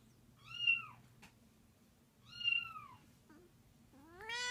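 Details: Angry 13-year-old domestic cat named Cleo reacting to other cats meowing; two short arched meows about two seconds apart, then a rising wail beginning at the close, over a low steady hum.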